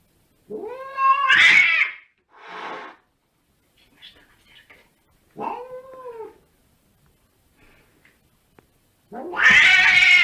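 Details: Domestic cat, in a funny-cats compilation, giving two clear rising-then-falling tonal meows several seconds apart, a soft breathy sound between them, and a loud, harsh, wailing meow at the end; faint rustling and clicks in the gaps.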